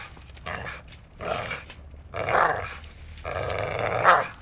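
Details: Dachshund at play, biting as if training to be a lumberjack; four rough, growly bursts roughly a second apart, each louder and longer toward the end, with soft rustling between.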